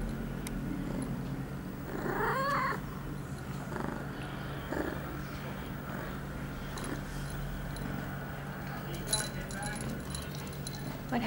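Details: Pia, an eight-month-old female house cat in heat, recorded September 23, 2011, two hours after her first birth control pill, gives a single rising, wavering meow about two seconds in, then quiet indoor noise with soft rustles and a steady low hum.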